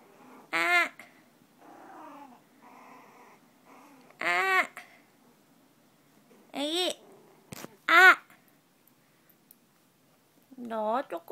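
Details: Baby poodle puppy indoors giving five loud, high-pitched whining yelps that slide downward, spaced a few seconds apart, with softer murmuring whimpers in the quiet gaps between them.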